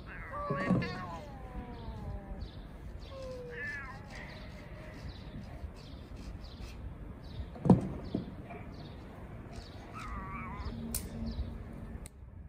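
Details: Pair of homeless street cats trading meows as they sort things out: a loud opening meow, several descending wavering cries, a sharp thump near eight seconds, then a rising meow toward the end, against constant low street rumble.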